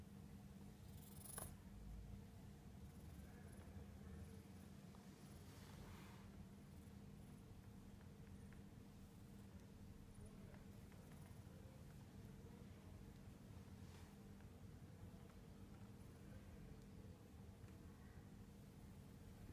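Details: A Siamese cat purrs with a steady, low, continuous rumble that barely changes throughout, while relaxing in the morning.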